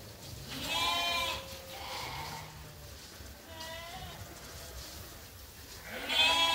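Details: Farmed sheep and lambs in lambing season waiting for their feed during daily feeding chores: several wavering, harmonic bleats, a long one near the start, a shorter one midway, and another rising at the end, over low farmyard background noise.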